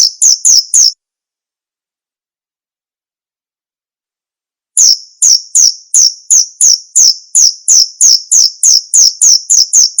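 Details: Chirping male cricket: a short run of shrill high chirps, then a pause of about four seconds, then a longer, faster series of piercing chirps at roughly three per second.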